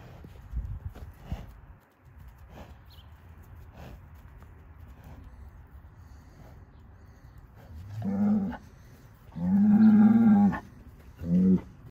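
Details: Hereford bull, registered and born 26 December 2020, moos three times near the end: a short low bellow, then a long, loud, harmonic-rich moo, then a brief final one, after quieter low rumbling and scattered knocks.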